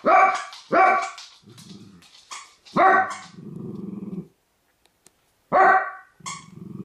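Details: Dachshunds Honey and MJ in a family home, barking in sharp loud bursts about every two seconds, with lower growling and rumbling sounds between barks; a person speaks briefly about a ball just before.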